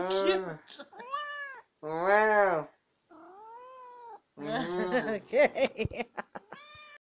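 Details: A female pet cat, described as a yappy chatterbox, gives several drawn-out harmonic meows with short pauses, then a fast burst of broken chirps and clicks at the end.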